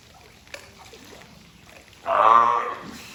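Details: At Ehime Prefectural Tobe Zoo on 20 April 2022, the California sea lion Taeko lets out a single hoarse, drawn-out honk after a second of quiet with small knocking sounds.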